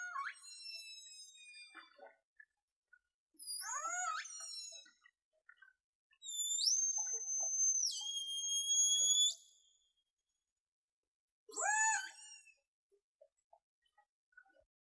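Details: Killer whale in False Bay, South Africa, 26 January 2021, giving strongly harmonic pulsed calls with falling sweeps, a long flat whistle-like tone and upswept cries.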